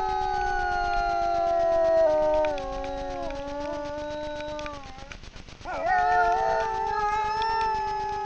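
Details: Two wild grey wolves howl in chorus at night in front of a camera trap in the Frýdlant area, Czechia. Long sustained tones glide slowly downward, fade into a short pause, then swoop up into a fresh pair of howls.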